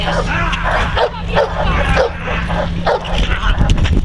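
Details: Neapolitan Mastiff named Kuba, a working dog protecting his owner from multiple agitators; deep, forceful barks repeated roughly every half second, overlapping with people shouting and a steady low hum.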